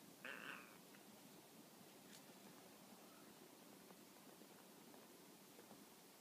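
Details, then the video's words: Tonkinese cat Peko answers from a lying position with a short, high meow of about half a second near the start. A faint tap follows, then several seconds of soft room hiss. "必ず返事をする、ETペコ トンキニーズの猫ちゃん"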